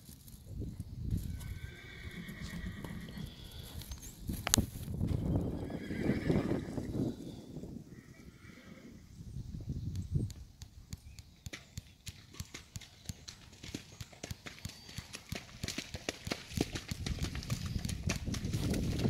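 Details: Black Kentucky Mountain Horse gelding, eight years old and 15 hands, a trail horse, gives two loud shaking whinnies early and midway, followed by steady hoof clip-clop and rustling.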